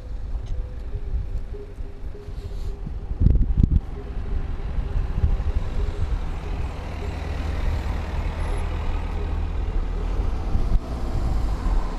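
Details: Steady low rumble like wind buffeting or an engine fills the recording, with a few thumps near the three-second mark and no animal voice.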